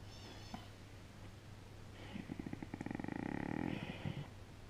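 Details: Domestic dog purring: a soft, rapid, pulsed rumble swells for about two seconds midway, then fades, over a steady low background hum.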